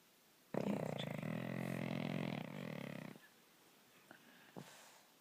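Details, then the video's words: A pug snoring while asleep at night, a nightly occurrence: one long, loud, buzzy, rattling snore lasting about two and a half seconds, then quiet with a couple of faint clicks. "Pug snoring"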